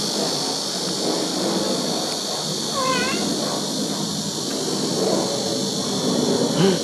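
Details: Country-house kitten with its mother cat in Dorae village, South Korea, gives a single short, high, wavering meow midway, against a constant buzzing insect drone.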